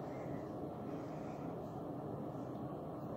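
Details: Even, continuous broadband hum like a distant engine or aircraft, unchanging throughout, with no animal sounds.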